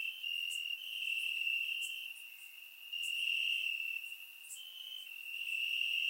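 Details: Many crickets trilling in grass during a warm summer night in Bulgaria, surround microphone recording; an even high-pitched drone that waxes and wanes, punctuated by short bright chirps roughly every second.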